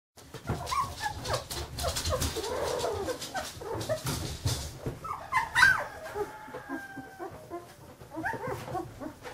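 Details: Fifteen-day-old Carolina Dog puppies making soft whimpers and squeaks amid rustling and handling noise, with a few brief higher tonal whines near the middle.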